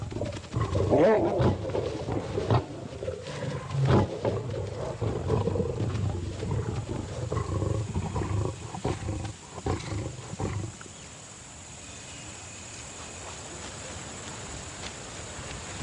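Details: Wild lions in combat: dense, harsh low roaring and snarling growls overlap continuously for about ten seconds, with loud bursts near the start, then fade to a quieter rumbling background.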